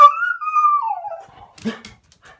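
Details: Cocker Spaniel crying: one long high whine that starts level, then slides downward and fades over about a second and a half, followed by a short rustle.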